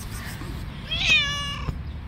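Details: Street cat described as attacking and fighting other cats gives a single clear meow, rising and then falling with strong bright harmonics, over low background rumble.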